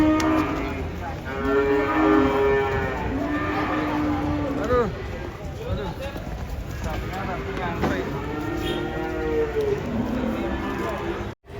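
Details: Cattle being unloaded from a truck, giving a run of long, drawn-out low moos that bend slightly in pitch, several in succession with brief gaps, while people exclaim in the background.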